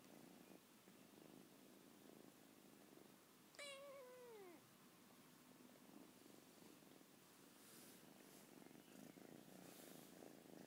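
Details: A 14-week-old Lilac British Shorthair kitten demanding to be petted, one falling meow of about a second midway, with soft purring and quiet room noise around it.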